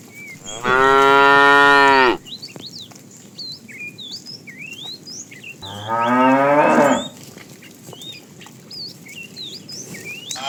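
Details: Tame cows roaming the road looking for food: two drawn-out, harmonic moos about four seconds apart, each lasting over a second, with small birds chirping throughout the background.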